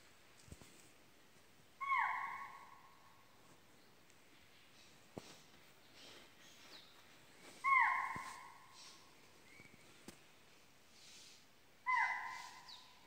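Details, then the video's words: Deer calling in the jungle of Pilibhit Tiger Reserve: three loud, drawn-out tonal calls about six seconds apart. Each opens sharply, then holds a steady, slightly falling tone for around a second and a half. Quiet background with a few faint clicks. "Deer calling"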